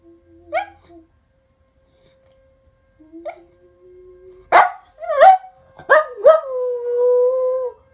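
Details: A pet dog indoors howling along with a city's monthly test siren after a person hums to prompt him: a faint low steady hum first, then rising yelps and a long wavering howl held for about two seconds.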